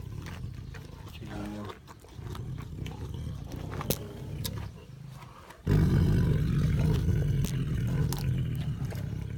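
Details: A Siberian tiger eating, with human voices and clicks early on, then a deep, steady rumbling growl that starts suddenly and continues for several seconds.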